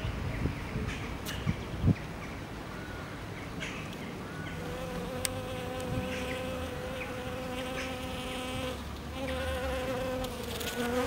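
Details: Spring's first day brings honey bees humming, an even buzzing drone that thickens after a few seconds as more insects join, with soft low-frequency rumble and occasional sharp ticks.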